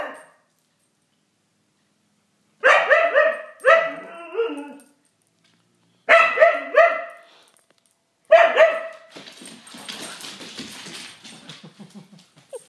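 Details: A playful Siberian Husky vocalizes at a cat in four bouts of loud, wobbling bark-howls. Each bout holds several stacked, rising-and-falling syllables, and the last is followed by breathy rustling noise.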